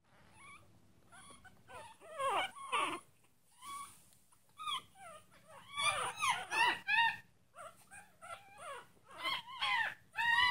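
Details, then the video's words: Teeny tiny purebred Chihuahua puppies from a litter of six. High, quavering squeals and whines overlap in bursts, several pups crying at once, with short quiet gaps between the louder clusters. "Teeny Tiny Chihuahua howls"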